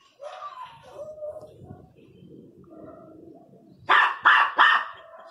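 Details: Miniature Pinscher, angry, whining softly at first, then breaking into three quick, sharp barks at the end; low background rumble throughout.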